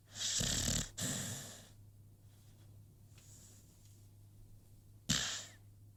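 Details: Asleep, the American Pit Bull Terrier Rocky gives two raspy, wheezing snores in the first two seconds, then near quiet, then one more sharp snort near the end.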